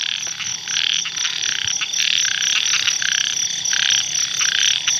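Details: Many small paddy frogs (khiat) calling together at a pond on an evening after heavy rain. A dense, unbroken chorus of rapid, high-pitched rattling croaks that overlap and pulse in loudness throughout, with no other clear sounds.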